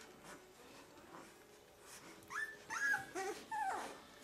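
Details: Two-week-old puppies, part of a litter of thirteen from Limit, giving high, thin whimpering squeaks; quiet indoor background at first, then a cluster of short, wavering, rising-and-falling whines in the second half.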